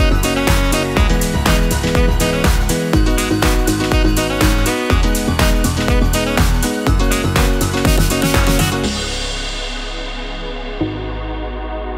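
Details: Loud electronic dance music with a steady driving beat fills the recording, fading into a sustained synth tail with no animal sound.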